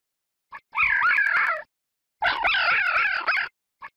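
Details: Fox calling, presented in a children's lesson on carnivorous animal names: two drawn-out, wavering, yelping cries with upward and downward pitch bends, each about a second long, separated by short silence.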